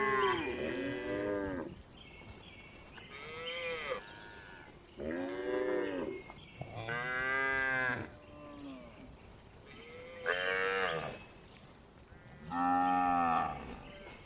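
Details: Dozens of gentle cows resting inside a well-kept livestock barn give repeated moos, six rich harmonic calls rising and falling, some long and drawn out, separated by short pauses and quieter distant lowing.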